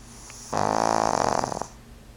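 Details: Loud snore from Fran Q, a pug aged two, heard indoors with the TV on; a single long, buzzy, fluttering inhalation about a second long, tapering off with a few rattles.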